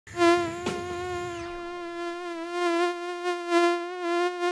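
A mosquito in flight gives a thin, steady, high whine that wavers slightly in loudness.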